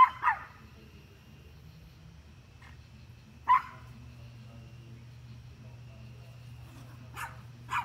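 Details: Dog barking at deer: a few isolated short barks separated by long gaps, over a steady low hum, with two fainter barks at the end.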